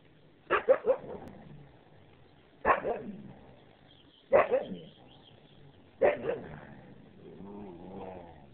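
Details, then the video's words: Siberian Husky at play, barking in four bursts about every one and a half to two seconds, each a sharp bark with quick echoing follow-ups, then a softer drawn-out whine-like sound at the end. "husky play"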